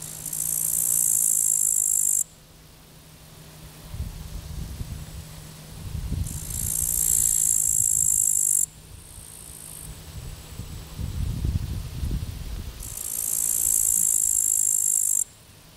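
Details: Field grasshoppers chirping at the Zawadowski embankment beside the Vistula on 15 August 2021: three separate sizzling high buzzes, each about two seconds long, with low rumbling background noise in the pauses between them.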